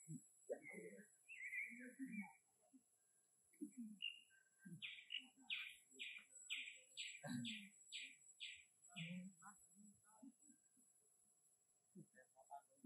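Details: A monkey gives a run of high, squeaky chirps, using its small sound to ask for more food, while people talk nearby.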